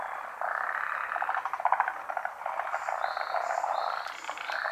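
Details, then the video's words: Chorus of forest green tree frogs, endemic to Japan, gathered for daytime spawning during the rainy season. Rapid rattling croak trains overlap continuously, with a few short higher whistle-like tones late on. "モリアオガエルの真昼の産卵/frog spawning"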